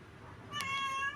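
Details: Young male cat waiting for its absent mother, giving a short, level, high-pitched meow in a quiet room.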